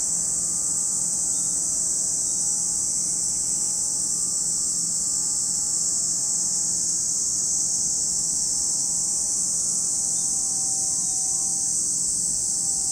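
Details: At Lake Kamo in Sado City, Niigata, Japan, cicadas keep up a constant sizzling high whine, level and unchanging, with a few faint thin tones and low murmur in the background.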